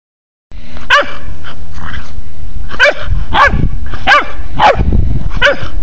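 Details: Pharaoh Hound puppy with a hen, giving six sharp, high yipping barks at uneven intervals after a brief silence, over a steady low rumble of background noise.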